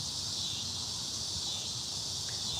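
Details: Annual cicadas sing in the evening after rain broke the heat of a very hot day, filling the air with a steady, high, hissing buzz in a dense chorus that seems to take over everything.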